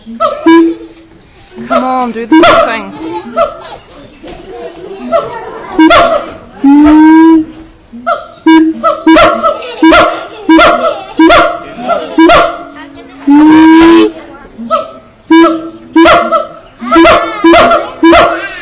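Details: Iwani, a hand-raised male siamang at Auckland Zoo, New Zealand, on 7 July 2013, hoots loudly in rapid repeated bursts, some calls sliding upward, with people talking nearby.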